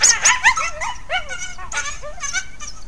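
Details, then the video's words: Resident wild coyotes interacting at Hallam Lake nature preserve, caught by trail camera: rapid high yips and wavering whines, sliding up and down, overlapping in a busy chorus. "Coyote Interaction at Hallam Lake"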